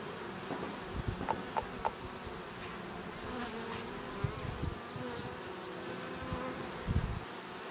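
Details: Honey bees at a Langstroth hive, Očová, about 430 metres above sea level, April 2018: continuous low droning hum with passing buzzes of individual bees and occasional ticks and knocks.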